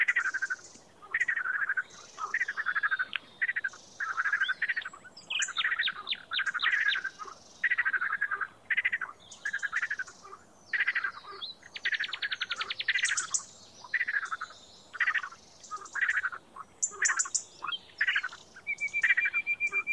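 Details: A frog giving short, harsh pulsed croaks in a loose, uneven rhythm, about one burst a second, with occasional longer rattling trains and a brief high whistled trill late in the recording.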